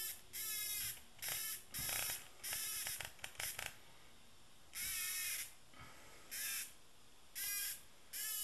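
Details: Docile cicada producing a series of rasping, broadband buzzes, some long and some clipped short, with a quick stuttering cluster near the middle, then evenly spaced bursts roughly every second against a quiet background.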